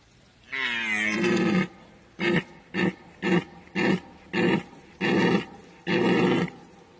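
A deer gives one long, deep, drawn-out roar, then seven short gruff bellows about every half second, with nothing else heard.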